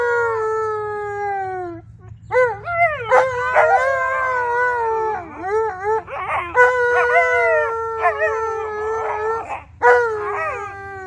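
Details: Two Alaskan Malamutes, Tonka and Monroe, howling together on St Patrick's Day: long sliding tonal howls, overlapping and wavering, rising then slowly falling, broken by short pauses and a few sharper yips.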